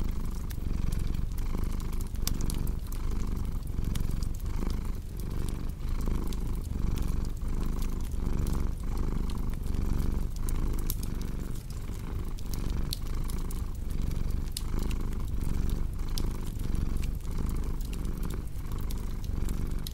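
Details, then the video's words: A cat's low, throbbing purr swells and fades in regular breathing cycles while a wood fire crackles with frequent bright clicks over the top. "Purring Cat with Cozy Crackling Fireplace Sound"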